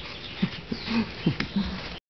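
An English Bulldog gives a quick series of low, throaty grunts and short whining moans.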